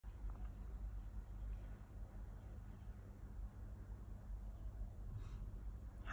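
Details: Low rumbling background noise with faint hiss and a brief soft knock near the end, no animal calls heard.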